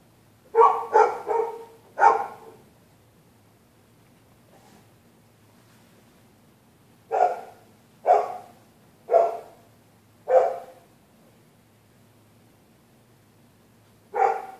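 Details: Dogs next door barking through the night whenever someone passes on the public sidewalk: a rapid burst of four barks, a pause, then four evenly spaced barks roughly a second apart and one final bark.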